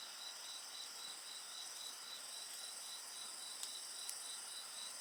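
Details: Mixed insect song by a bonfire, a rapid pulsed chirp repeating about four times a second over constant shrill ringing bands, with two sharp fire crackles near the end.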